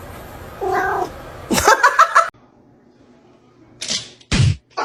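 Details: Kitten meowing indoors: a faint harmonic mew, then a louder cluster of short strained meows, followed by a pause and a few sharp thumps or knocks, with people's voices and laughter nearby.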